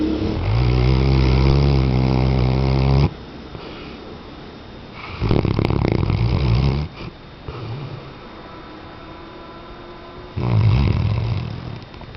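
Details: Weimaraner. A sleeping Weimaraner gives loud, low, rattling snores that come in drawn-out bursts of two to three seconds. Softer, hushed breaths fill the pauses between them in a quiet indoor setting.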